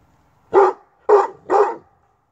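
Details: Tosa Inu at a kennel barking at someone with a covered face and head; three deep, loud barks about half a second apart, quiet background.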